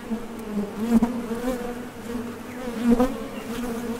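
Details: Foraging honey bees coming and going at a top bar hive entrance; continuous low hum with two louder close fly-bys near the first and third seconds, faint clicks at landing.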